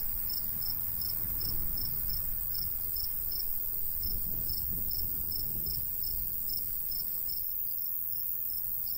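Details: Summer countryside cricket chirping among golden wheat, about three high pulses per second in a loose rhythm, accompanied by a gentle low breeze.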